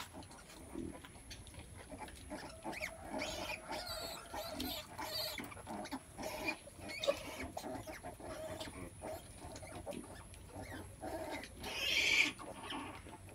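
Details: A sow giving birth makes a steady run of soft grunts and snuffles, with a brief sharp squeal near the end over constant background hiss.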